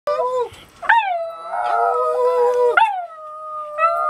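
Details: Two dogs aboard a yacht on the Pacific coast near Victoria, British Columbia, Canada, howling along once their owner starts to howl; long, sustained, wavering tones with sudden upward leaps, voices overlapping.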